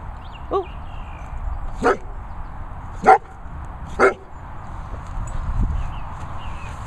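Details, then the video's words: Vizsla vocalising because it wants to be chased: several short yelping moans at irregular one-second intervals, with a soft higher squeak at the start and constant low background noise. "Vizsla moaning at Pheobe to be chased."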